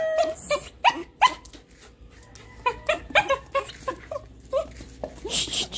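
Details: Puppy barking indoors, from a pair of young friends, a Golden Retriever puppy and a Shih Tzu puppy, in a home with three dogs: short sharp yips in quick irregular bursts, with soft background noise.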